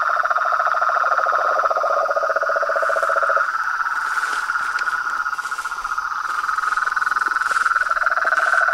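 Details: Pond chorus at dusk from frogs, toads and tree frogs: a fast mid-pitched trill continues throughout while a lower, rattling pulsed trill joins at the start and again near the end, over a constant high whine.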